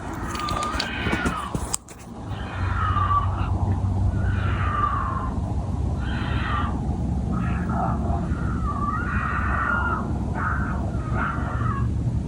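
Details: Two wild mountain lions in a Colorado backyard at night, probably preparing to mate, caught on a phone: after a brief voice, loud wavering yell-like cries sound again and again, each rising and falling, over a steady low rumble of background noise.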